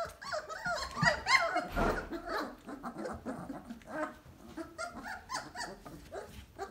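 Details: A litter of Basset Hound puppies, 3 weeks and 2 days old, whimper and squeal in the whelping box with high, wavering cries, several voices overlapping.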